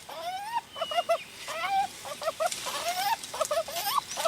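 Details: Jarunee, a gibbon known as the singing ape, gives clear pure whistled whoops that rise in pitch. Each is followed by quick quavering double notes. The whoop-and-quaver phrase repeats three times in a steady rhythm over light background hiss.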